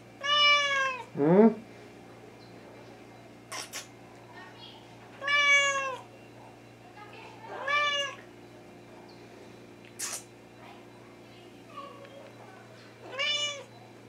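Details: Hungry Thai cat (Wichienmaat) meowing indoors; about six loud harmonic meows spaced every two to three seconds, each arching then falling, one lower rising chirp early on, plus a few clicks and soft speech.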